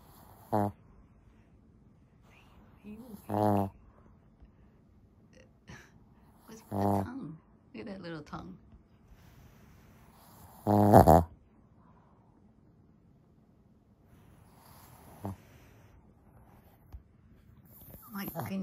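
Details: Lacey, a female Shih Tzu, snores loudly while asleep, with harsh, rumbling snorts that come in bursts every three to four seconds, about six in all, separated by quiet breathing in a small indoor room.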